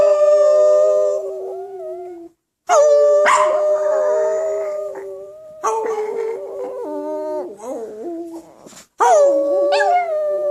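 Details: A Chihuahua "sings" along with people, howling in long, wavering, tuneful notes broken by short pauses.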